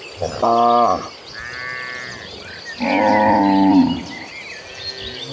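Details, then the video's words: Cattle, dozens of cows moving as a herd toward green pasture, give two loud droning moos about two seconds apart, each lasting under a second, with small birds chirping faintly behind. "The Sounds of Gentle Cattle: Dozens of Cows Walking Toward the Green Pasture in a Herd."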